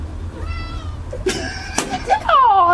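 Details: Excited over soap bubbles, Ruby the cat lets out a loud, downward-sliding meow near the end, after a faint earlier cry and some knocks and thumps, while a person chatters close by.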